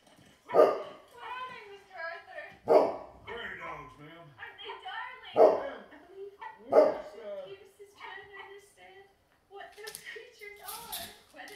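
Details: A Great Pyrenees in guard-dog mode gives deep, booming barks a couple of seconds apart, reacting to a dog barking on TV, which happens regularly; background speech.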